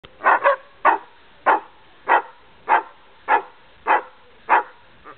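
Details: Greyhound barking during play, one of ten dogs together on a family visit: a steady run of about ten short, sharp barks, roughly one every two-thirds of a second, with no other sounds.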